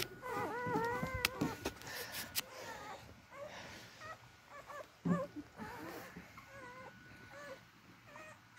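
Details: Beagle puppies making an effort to reach their mother to nurse: a run of curling, high whimpers at the start, then sharp clicks and rustling, with shorter, softer whines scattered through the rest.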